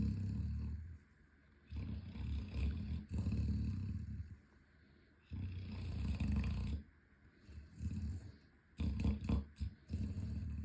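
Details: Loud snoring from Boomer Bear, an 11-month-old Chocolate Labrador running in his sleep: long, low, gravelly breaths of a second or more, broken by pauses, with scraping or shuffling noises near the end.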